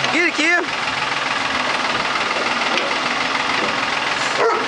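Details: German Shepherd Kia playing with a backhoe bucket: two quick, rising-then-falling barks at the start, followed by a steady, loud engine drone from the machine, with a faint short call near the end.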